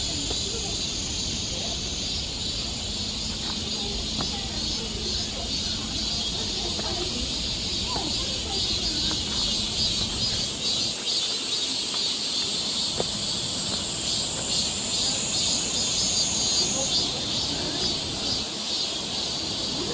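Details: Korean summer forest near Seoul, cicadas in full chorus: an unbroken high, sizzling buzz with a gently pulsing shimmer, while faint clicks and snaps come from the trail below.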